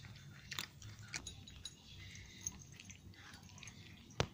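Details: Dry-food crunching from a group of nine cats in Portugal at snack time; scattered sharp bites and crunches a fraction of a second apart, ending in one loud crack, in a small quiet room.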